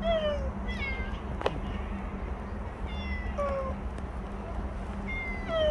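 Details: Bolt, a stray cat that stayed nearby for a year and five months, in its last recording: four falling, harmonic meows spread across the clip over a steady low hum and outdoor rumble.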